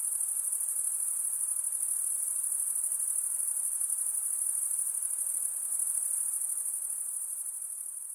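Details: Night-time insect chorus with a rapid, shimmering high trill running continuously, pulsing about three times a second, easing slightly quieter toward the end.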